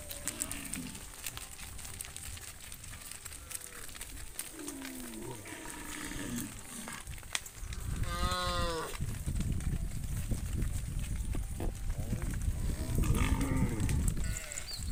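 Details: Tame cattle herd walking quietly behind a herder back to the farm pen at sunset; soft low lowing early on, then a loud drawn-out rising and falling moo midway and another near the end, over rustling background noise.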